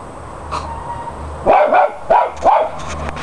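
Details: Playing West Highland White Terriers, several dogs: after a quiet start, three sharp, high yapping barks in quick succession follow each other about half a second apart, with light scuffling noises around them.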